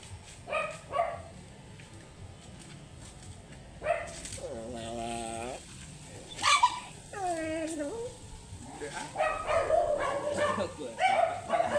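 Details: Shih Tzu angry during grooming: brief barks, two long quavering whines, then a run of rapid, frantic barking toward the end, with human voices present.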